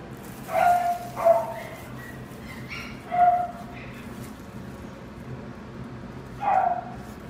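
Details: Young male dog with black smoke coloring, born 4 November 2019, kept at a pet shop, gives four short, high, yipping barks spaced irregularly across a quiet room, with a long pause before the last.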